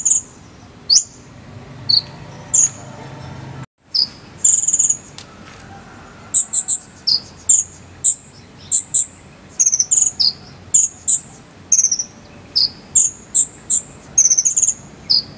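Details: Chirping cricket in the 'sambung cililin' style, used to teach a konin bird: shrill, clipped high chirps with occasional falling slurs, sparse at first, then coming thick and fast after a brief dropout, with steady faint hiss.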